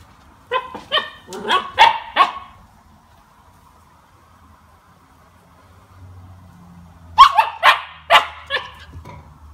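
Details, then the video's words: Two-month-old Siberian Husky puppy tasting lemon for the first time: two rapid runs of high yappy barks, about five each, separated by a few seconds of near silence with faint low background rumble. "CUTE SIBERIAN HUSKY PUPPY TASTES LEMON | FUNNY REACTION"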